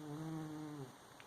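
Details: A sleeping cat snores: one steady, low, humming breath that holds for under a second, then fades into quiet room hiss.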